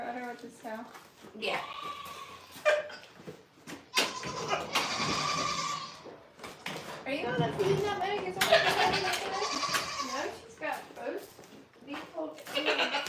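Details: Goats at The Willful Goat Farm & Home giving long, wavering, quavering bleats in two drawn-out bursts, mixed with close human speech throughout.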